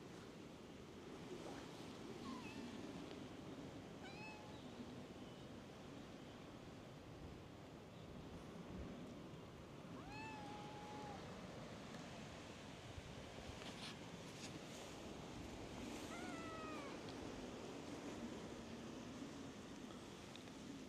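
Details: On a cat island, stray cats crowd around a person seated on a bench and let out clear, drawn-out meows at intervals of roughly six seconds, some level and some bending downward, over constant wave and surf noise.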